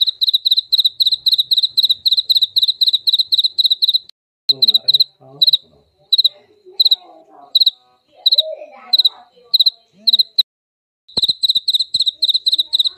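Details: A jaliteng cricket gives rapid, high, ringing chirps in a steady pulsing series with brief pauses; the loud sound is said to contain ultrasound and to be played to repel mice.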